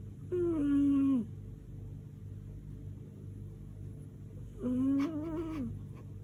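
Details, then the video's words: Lady Silvana, a house cat that snores like a tractor, gives two drawn-out harmonic snores about four seconds apart, each lasting close to a second and falling off at the end, the second followed by faint rustling. "МОЯ КОШКА ХРАПИТ КАК ТРАКТОР"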